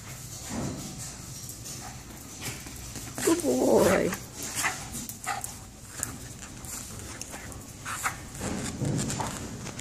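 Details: Jack Russell Terrier, a shy, recently neutered male dog up for adoption and recovering from an infection, gives one short, rough bark-like sound midway through, amid low indoor background noise and faint clicks.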